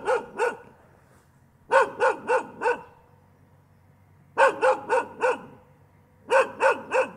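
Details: Dog barking continuously in bursts of two to four sharp barks, each burst separated by pauses of about one to two seconds, clear and loud against a quiet background.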